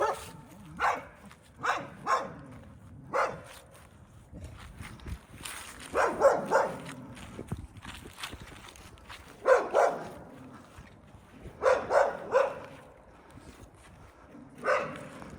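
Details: A neighbor's dog, recorded on 14 January 2024, barks irregularly at some distance, single sharp barks and small clusters over a steady background rumble.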